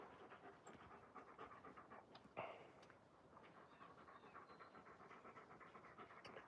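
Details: Alaskan Malamute, one of the dogs Moose and Raven, playing outside: fast, steady breathy panting in even rhythmic puffs throughout, with a single sharp click partway through and faint outdoor background.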